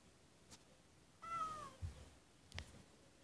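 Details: White kitten crying at a door indoors: one faint, slightly falling meow lasting about half a second, with soft thumps and clicks before and after in a quiet room.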